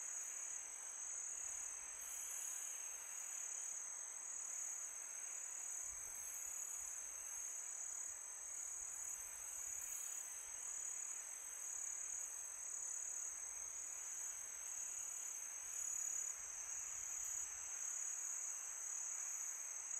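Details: Night crickets on a calm summer evening keep up a continuous thin, ringing trill, steady and unchanging, backed by a soft wash of wind noise.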